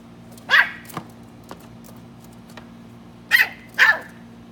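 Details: Three-month-old West Highland White Terrier puppy A-Bao lets out one bright bark, then after a pause two more in quick succession, high and sharp over a constant low background hum.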